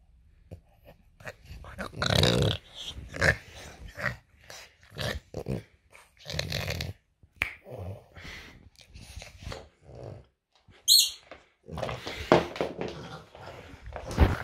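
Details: French Bulldog at home in the morning, playful; rough grumbling growls and snorting bursts in short irregular bouts, with a brief high squeak near the end and household noise.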